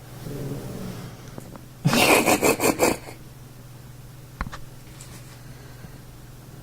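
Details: A steady low hum is broken by a second of rapid, noisy crunching or scraping bursts, then a single click. No clear animal call stands out.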